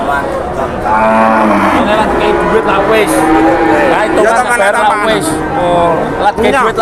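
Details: At a cattle market, a chorus of lowing cattle: a level moo first, then a jumble of bending, rising and falling moos from several animals, set against noisy crowd talk.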